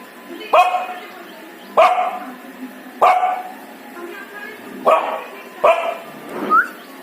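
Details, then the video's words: Dog barking in a funny way: six short, sharp, mid-pitched barks at uneven intervals, the last rising into a squeaky yelp, over a steady background hiss and faint murmuring. "Funny dog sound"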